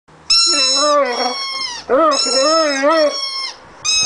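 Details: A Rhodesian Ridgeback dog singing on his first birthday: two long howled phrases with wavering, undulating pitch, rising and falling in a smooth tone, then a third howl beginning at the end.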